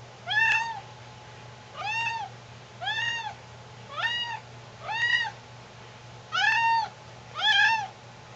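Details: Pet cat indoors meowing for milk and cereal: seven clear, arched, harmonic meows, each under half a second, spaced roughly one to one and a half seconds apart over a faint steady hum.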